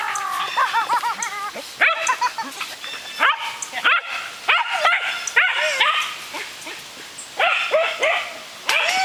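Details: Excited barking from Pyrenean Shepherds during disc play, a young brindle female Cookie, six months old, and her fawn father Gabizos: rapid bursts of high, ringing yips and barks in clusters, with short pauses.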